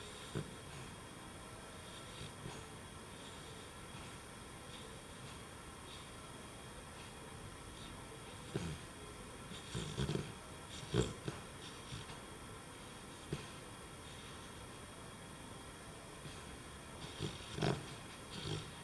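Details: Labrador Retriever puppy Jesse, three months old, sleeping indoors and snoring: soft, noisy breaths with irregular louder snorting bursts, clustered toward the middle and end, over a steady room hiss.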